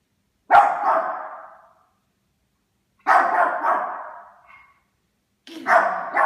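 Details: Yorkshire Terrier barking at a Christmas stocking, three loud, rough barks about two and a half seconds apart, each with a sharp onset and a trailing decay, no other sounds.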